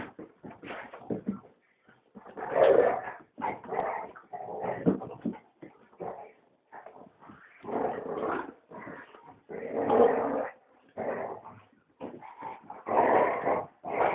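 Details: Big dog play-fighting with a puppy named Rocky indoors, rough noisy growls in short bursts of varying length with brief pauses between, a person speaking softly nearby.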